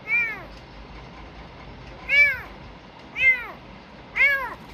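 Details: Rescued sick kitten, taken from a garbage heap, calls four loud, high-pitched meows that rise and fall, spaced about a second apart after an opening pause.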